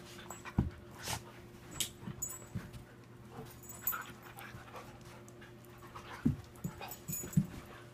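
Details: Two pet dogs, a five-year-old adopted shepherd mix and a two-year-old rescued husky, panting while playing together; soft breathy puffs with occasional louder thumps come irregularly about once a second over a low steady hum.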